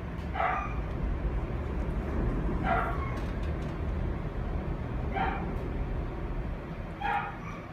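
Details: A black female Labrador Retriever, born 22 August 2017, gives high, short yipping barks about every two seconds over a low rumble.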